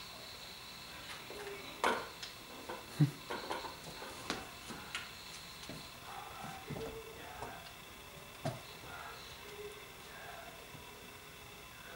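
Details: A quiet indoor room with scattered knocks, clatter, and faint voices, and no animal sound.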